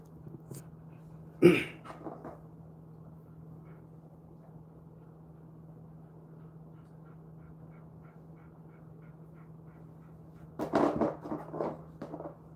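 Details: Jindo dog Ddaya, a ten-year-old male kept aboard a ship, calls before snacks after brushing: one sharp vocal burst early, a few short follow-up sounds, then a run of grumbling, throaty yelps near the end over a steady low hum.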